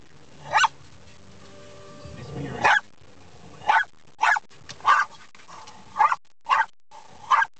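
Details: Dog barks repeatedly at moving windshield wipers: about nine short, sharp barks, spaced roughly half a second to a second apart, over a faint low hum with some muffled rumbling.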